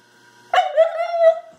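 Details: Female Siberian husky at bath time after playing in the mud, giving a short vocal 'I love you' howl: one steady, tonal, slightly wavering note lasting about a second, close by.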